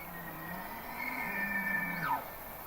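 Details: A bull elk bugles during the breeding season, a long, high, strained whistle over a low growl ending in a sharp downward slide, a male call that attracts females and asserts dominance over rival males.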